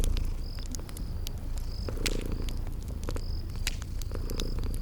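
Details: Sleeping kitties purring beside a crackling fireplace in a spring garden ambience: a steady low rumbling purr under sharp crackle pops, with brief high chirps recurring through the background.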